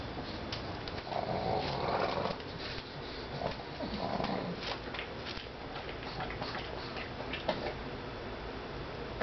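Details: Nibbles the pug, also called Bennie, a female pet, making silly noises as she eats kibble one at a time; low nasal grunts around one to two and four seconds, then quieter chewing clicks.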